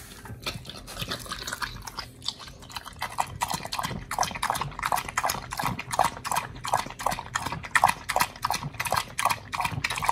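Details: Oli, an American Pit Bull Terrier, eating raw fish and steak indoors, recorded August 4, 2023: softer wet chewing at first, then steady crunching bites repeating several times a second, sharp and moist, with no other clear sounds.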